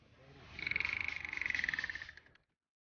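A dolphin gives a rapid, buzzy, pulsed squawk that holds a steady pitch, then fades after two seconds.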